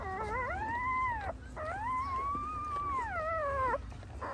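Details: A female pointer dog giving birth to nine puppies at home gives two long, drawn-out howling whines, each arching up and sliding down, the second lasting about two seconds, over a steady low hum.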